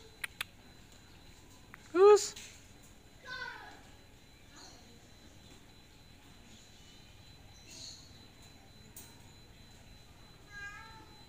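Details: Miko the cat, unable to get down from a tiled roof, gives one sharp, loud rising meow, followed by fainter, shorter mews scattered through the rest amid quiet hum and a few clicks.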